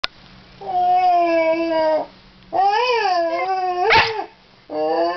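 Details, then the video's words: Basil, a Scottish Terrier dog, howling indoors to say hello: three drawn-out tonal howls with rich harmonics, the middle one wavering up and down, separated by short quiet gaps, with a brief sharp yelp near the end. "Basil The Scottish Terrier Dog howling, talking and saying 'hello'"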